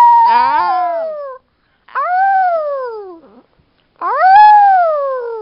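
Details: Chihuahua howling: three long, clear wails about two seconds apart, each rising briefly then falling steadily in pitch, the first with a quavering start, in a quiet room.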